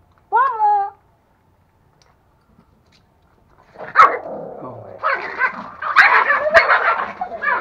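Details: Aggressive male toy Pomeranian puppy with a female, chewing a real bone for the first time in Kathmandu, Nepal: a short, bright wavering yelp, a pause, then sustained rough growling with sharp snaps as people talk nearby.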